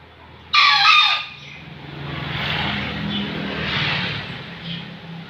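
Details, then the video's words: A single short, loud, high crow from a rare Bekisar fowl, followed by the rumble of passing traffic. "BEKILUS GACOR// ayam langka"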